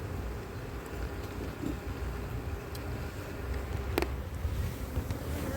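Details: Honey bees in an opened hive during a colony check after cold weather and failed first queen matings on splits. A low, steady droning hum runs throughout, with a few brief clicks and handling knocks.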